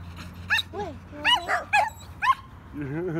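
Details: At the dog park, Belgian Malinois mix Solomon lets out a quick run of high yips and whiny barks, roughly six in two seconds, ending in a lower drawn-out whimper over a constant low hum.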